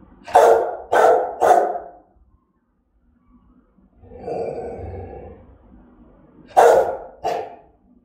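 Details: Fierce threatening barks of a German-type Rottweiler: three quick harsh barks in a row, a pause, a drawn-out rough growl, then two more sharp barks.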